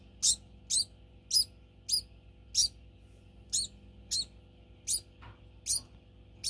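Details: A pet degu (Octodon degus) gives sharp, high-pitched chirps about twice a second as feeding time nears, a daily demand for food.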